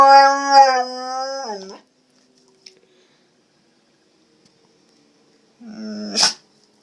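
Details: Dog giving brief howls during tornado sirens: one wavering howl that ends in a downward slide, a long quiet gap, then a short rising howl that ends with a sharp yip.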